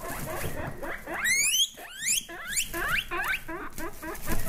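A guinea pig gives a run of high, rising squeals, several bunched together and sliding sharply upward, over a soft rustling background.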